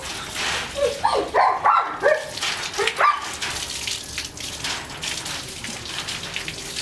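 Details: At bath time a German Shepherd x Labrador cross lets out a quick run of six or seven tonal whines, sliding up and down, over about two seconds, followed by splashing water and background hiss.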